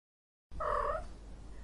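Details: Angry cat giving a single drawn-out meow of about half a second, steady and nasal in tone, fading into a low background hiss.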